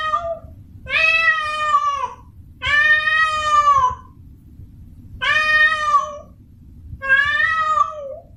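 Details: A female house cat in heat calls to a male, asking to mate, with four loud, drawn wails of about a second each, spaced by pauses of roughly a second, wavering slightly and tailing off, over a low steady hum.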